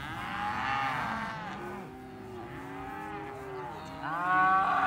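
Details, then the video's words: Cows lowing in overlapping moos, long harmonic calls rising and falling, several animals calling at once, with a louder bawl near the end. "Voice of Cows"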